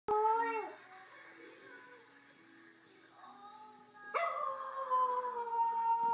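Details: Willow, a pet dog, watching a clip of Clyde the singing Yorkshire terrier: a wavering tonal howl falls away, a quiet pause with faint tones follows, then a strong steady howl rises abruptly and holds to the end.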